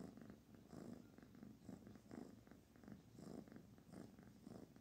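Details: Purring from the kitten Barfi as she is petted; continuous low buzzing purr in regular pulses, with faint rubbing sounds of the stroking hand.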